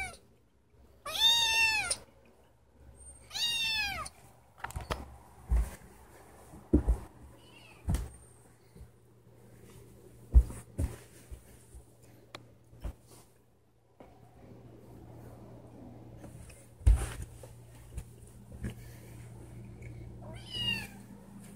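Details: Pet cat, a female kept indoors, crying because she wants to go outside; two loud drawn-out meows with rising then falling harmonics near the start, a fainter meow near the end, with clicks, taps and low room hum between.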